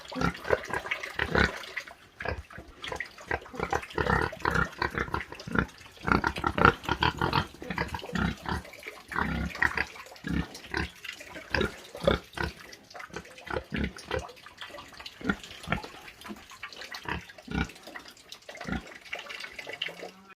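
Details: Farm pig grunting almost continuously, the "ronc ronc" sound: dense runs of short, harsh snorts and grunts, busiest early and thinning out toward the end.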